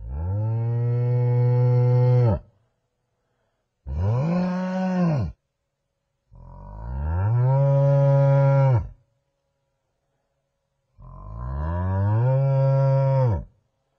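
A buffalo gives four long, deep, moaning bellows, each rising and then sagging in pitch.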